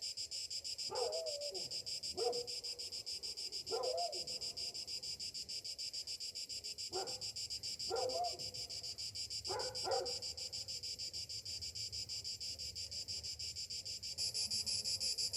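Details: Cicadas buzz steadily through a summer morning, a high pulsing hiss. A dog barks repeatedly in short bursts across the recording, about seven barks in all.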